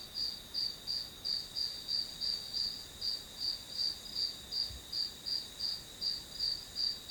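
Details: High, ringing insect chirps from the grass, evenly spaced pulses close to three per second on a single sustained pitch, background otherwise quiet apart from one brief low knock.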